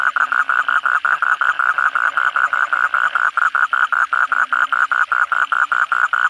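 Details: After heavy night rain, kodok bangkong call in chorus: a loud, rapid run of clicking pulses, about four each second, over occasional lower croaks.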